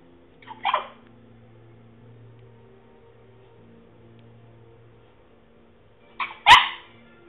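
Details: French Bulldog making funny noises while trying to bark: two short, strained, husky bursts about six seconds apart, a soft hum underneath between them.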